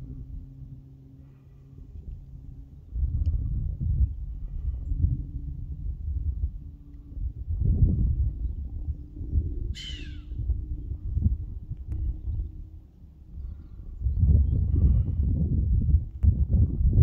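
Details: Male chamois on Monte Baldo in Trentino gives its nasal alarm whistle: one short, hissing, downward-sliding whistle near the ten-second mark, set against steady low rumbling wind and handling noise.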